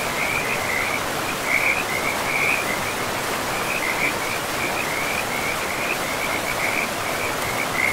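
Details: Frogs calling beside a river in a moss-covered forest: continuous rattling croaks pulsing several times a second throughout, set against a steady wash of running water.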